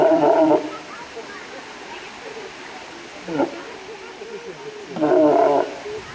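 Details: Walrus giving three harsh, harmonic bellowing bursts, each about half a second long, spaced a few seconds apart, over a steady low background hiss.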